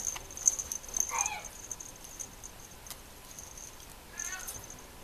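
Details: Two female Mame Shiba puppies at a breeder's kennel give two thin, wavering whines, one near the start and one near the end, separated by a few light clicks and rustles.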